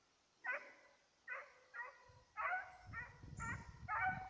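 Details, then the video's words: Petit Basset Griffon Vendéen baying while chasing a rabbit, recorded 5 October 2014: seven loud, harmonic bays in a little over four seconds, coming in irregular bursts, with low rustling and footfall noise in the later part. "petit basset griffon vendeen tras conejo"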